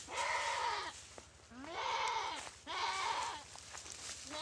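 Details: Goat being attacked and eaten alive by a Komodo dragon in the dry river of Komodo Village, bleating three times in quick succession, each cry drawn out and quavering, rising then falling, over a low steady hum.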